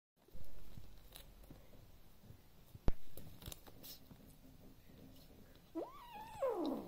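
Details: A male Devon Rex kitten in his nest with his mouse gives a low rumbling growl, then a sudden rising, wavering cry near the end.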